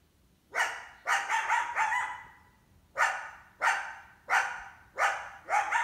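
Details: Summer coyote, a female with at least one big pup, barking while trying to hunt an indoor cat: a quick burst of four harsh barks, one trailing into a brief tone, then a pause and five evenly spaced barks.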